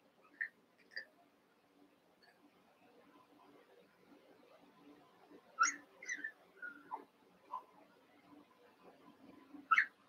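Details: Seven-week-old Cavalier King Charles Spaniel puppies, eight together in an indoor pen, wrestling and playing: scattered short, high squeaky yips and squeals, a few isolated ones early, then a tight cluster later, over a faint steady hum.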